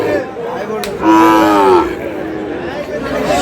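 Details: A Sahiwal bull calf bought at a cattle market in Kurigram, Bangladesh, lets out a short, clear, tonal moo lasting under a second, gently falling at the end, amid crowd murmur and a sharp knock beforehand.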